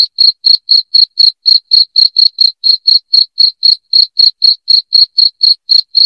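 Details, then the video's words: Loud, ringing cricket chirps intended to drive rats out of a home pulse rapidly, about four a second, each a brief bright burst over complete quiet. "SUARA JANGKRIK NYARING"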